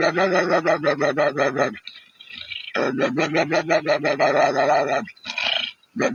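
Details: Dog in Bangladesh making a funny sound: long runs of rapid, throaty, pulsed grumbling, roughly three pulses a second, in two bursts of about two seconds each separated by brief pauses and scuffling noise.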